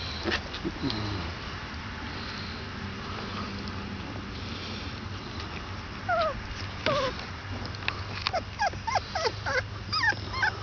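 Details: Basset Hound puppies 22 days old whimper and squeal in short, high, falling cries.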